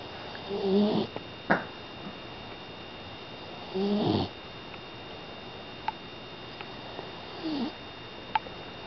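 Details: Sleeping five-month-old female pit bull puppy snoring indoors; short raspy snore breaths roughly every three seconds, softer than usual, with faint clicks between.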